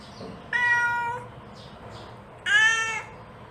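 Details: A mother cat calls to her kittens with two clear, tonal meows about two seconds apart. The first is long and steady, the second shorter and slightly falling. Faint soft noises fill the gaps.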